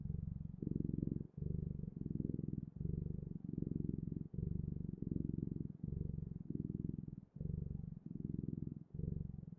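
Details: Cat purr heard close and low, a rumbling vibration broken into regular inhale and exhale pulses under a second each, steady and unbroken by other noises.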